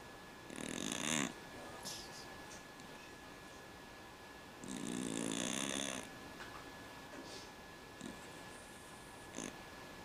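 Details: A pet cat snores like a man, with rasping, breathy snores lasting about a second each, spaced roughly four seconds apart, and softer snuffling breaths between them. A faint steady electrical hum runs underneath.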